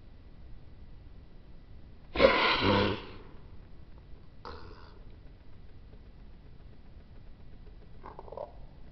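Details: A Maltese dog in a home in Tottori, Japan gives a loud, breathy, sneeze-like snort, then a shorter one about two seconds later and a faint third near the end, in a quiet room.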